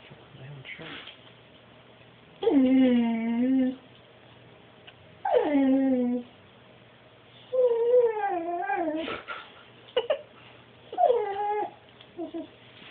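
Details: Dog "talking" indoors, recorded on an Android phone: a series of drawn-out whining vocalizations with harmonics, some rising then falling, others wavering, in bursts of about one second separated by short pauses, with a few brief clicks.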